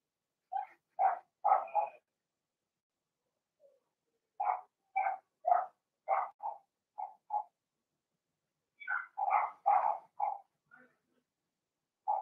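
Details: Blenheim Cavalier King Charles Spaniel puppies, Remy's first litter of six (two females, four males) born March 7–8, in a home puppy pen; bursts of sharp, mid-pitched yips, several in quick runs, with quiet pauses between groups.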